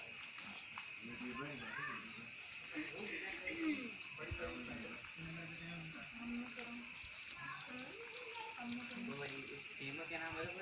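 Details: A cicada perched on a tree on a warm day drones in a steady, high-pitched buzz while people talk quietly underneath.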